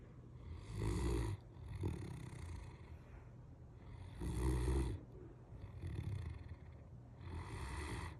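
A Great Dane snores deeply, with rumbling breaths about every two seconds.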